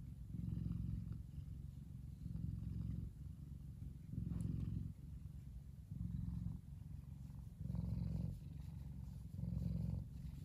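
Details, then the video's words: Kumba, a big male F2 Savannah cat, purrs while relaxing in the sun. The low, rumbling purr swells louder and softer in alternating phases about every second and a half, steady throughout. "Big Savannah Cat Relaxing And Purring."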